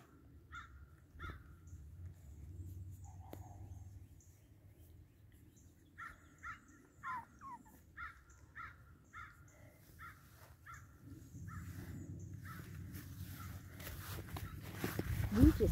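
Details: Puppies of Wiggle's Boston Terrier litter make short squeaky yelps, first scattered, then a run of about nine evenly spaced squeaks roughly every half second, fading into growing rustling and handling noise.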